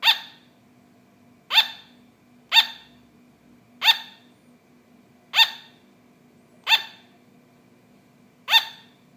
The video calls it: Sugar Glider Barking